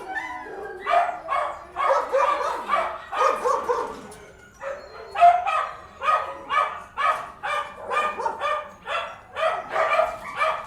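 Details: Dogs barking inside, a rhythmic series of loud barks repeated roughly every half second, a brief lull near the middle, then steady barking again.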